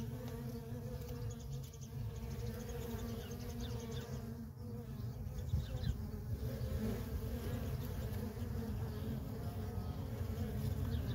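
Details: Feral honey bee colony with worker bees streaming in and out, a continuous buzzing hum over a heavy low rumble that grows louder toward the end, the bee tone steady throughout.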